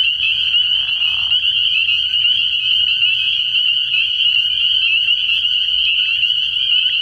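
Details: Dozens of spring peepers calling together from a frog pond at night in early spring, a continuous shrill trilling chorus; a lower rough croak sounds during the first second, over a faint low rumble.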